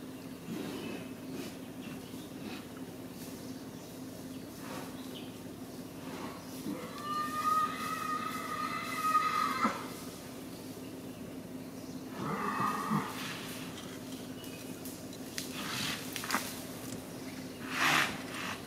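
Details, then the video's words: Two male Indian gaur bulls in BR Hills, India, early morning on 18 November 2018, roaring in mating season by the K.Gudi road. Drawn-out, tonal, harmonic calls rise around mid-clip and again later over a steady low hum. "Indian Gaur : Roaring during mating season."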